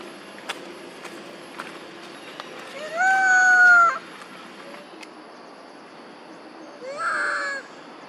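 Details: Monkey mothers Duchess and Queen crying out for their missing baby Quinton: two loud, drawn-out harmonic calls, the first a steady held tone, the second rising and wavering. Quiet background with faint clicks between the cries.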